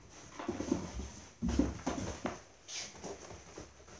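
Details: Young Dobermann puppies at play in their kennel house: brief low whines and grunting squeaks in quick bursts, with scuffling and bumping from the playing litter.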